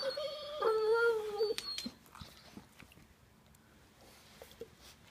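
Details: A dog's strange communicating sound: one clear, slightly falling whine lasting under a second, followed by faint snuffling and soft clicks in a quiet room.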